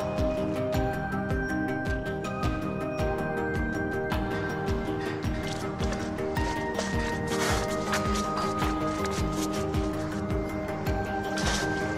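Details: Steady instrumental music with a regular beat plays throughout, with no animal voices. Held tones and rhythmic percussion fill the whole stretch.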